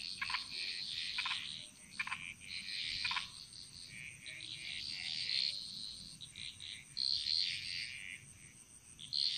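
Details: Chorus of frogs in Bali's jungle: several knocking croaks early on, then overlapping high trilling and chirping calls against a continuous thin insect whine.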